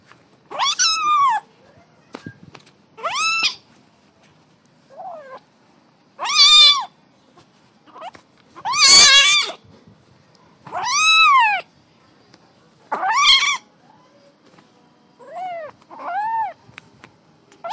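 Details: A small kitten, playing, gives a series of clear, high meows, each rising then falling, spaced a couple of seconds apart.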